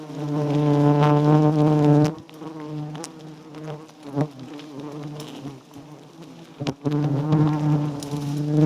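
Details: Wild giant honey bees at a small nest with white comb heavy with honey. A loud, steady, low droning hum with stacked overtones fills the first two seconds and returns near the end, broken by sharp clicks and knocks in between.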